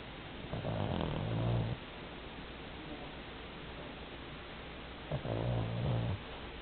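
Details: Heavy 11 kg Pomeranian snoring in its sleep, sounding like an old man: two deep, buzzing snore breaths, each about a second long and spaced around four seconds apart, with soft hiss in between.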